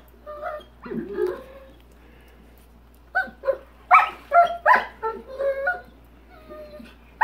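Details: A Rottweiler gives short, tonal barks and yelps in quick bursts at a big rock in his swimming pool while his owner talks, urging him to get the rock out.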